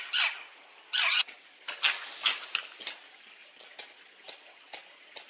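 Red fox giving two harsh, raspy yelps, then a run of short, high squeaks.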